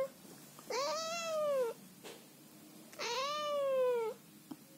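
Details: Scottish Fold cat Chloe scolding her owner at night in bed, annoyed at being cuddled: two drawn-out arched meows about a second apart, each rising then sagging, in a quiet room.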